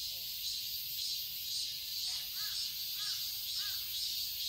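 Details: Summer garden in Seoul, Korea, filled with a continuous high cicada buzz. Through it a crow gives three short, harsh caws in the second half, spaced roughly half a second apart.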